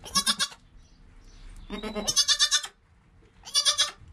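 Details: Within an hour of birth, goat kid Joel calls near his mother Penny; three wavering bleats, a high one, a longer lower quavering one, then another high bleat after a short pause, with faint rustling beneath.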